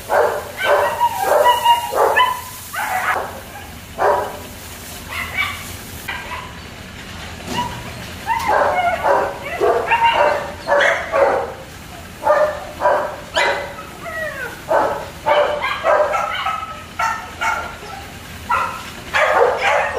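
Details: Kennel German Shepherd puppies yapping continuously, a chorus of quick high barks and squeaky yips in irregular bursts, several dogs calling at once over a low steady hum.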